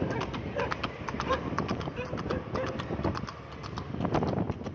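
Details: Horse ridden fast along a road, dense run of sharp hoof clacks in uneven bursts, some brief murmured voices and a low rumbling background throughout.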